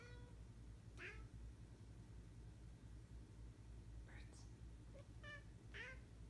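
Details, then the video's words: A female ragdoll cat lounging indoors on a fluffy carpet chirps along with wild birds outside. She gives four or five short, bright chirps and trills, spaced a second or more apart, over a steady low indoor hum. "Weirdo kitty chirps at wild birds"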